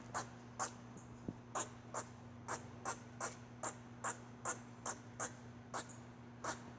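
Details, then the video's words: Squirrel giving an odd run of brief raspy clicks, spaced about half a second apart and fairly even in loudness, with a steady low hum underneath. "Squirrel making weird noise"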